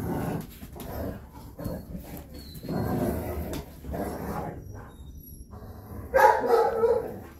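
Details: Three Rhodesian Ridgebacks, grandmother, mother and grandchild, indoors on a Saturday morning after barking for hours; repeated loud barks and growly yaps in bursts, a sharp higher yelp near the end, television voices beneath.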